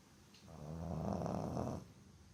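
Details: A soundly sleeping Boston Terrier snores in one long, rattling, low breath lasting over a second.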